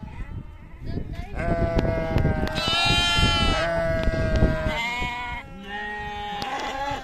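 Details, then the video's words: Sheep or lambs on a farm giving several overlapping bleats of varied pitch, some short and rising, over a busy background of clicks, thumps and shuffling. "sheep sound , lamb sound"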